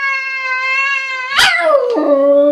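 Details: Perseus, a cat recently adopted from the SPCA, moans at himself in the mirror: a long, steady, harmonic-rich tone held for over a second, then a sharp break and a lower wavering tone that slides down and levels off.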